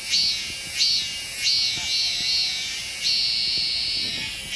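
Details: Korean cicada in song, high buzzy phrases pulsing in regular bursts about every two-thirds of a second, ending in a longer sustained drone.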